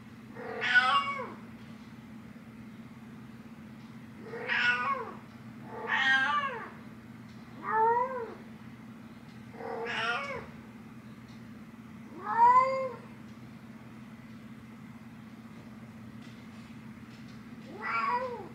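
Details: Nyx the cat trying to rouse her human mom, giving seven short, bent meows at uneven gaps, some paired closely, others spaced several seconds apart, over a low steady background hum.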